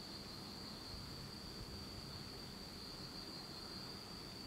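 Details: Night insect chorus in a Japanese autumn, recorded in total darkness; a continuous high thin trill rides above a fairly strong low-frequency rumble and hiss.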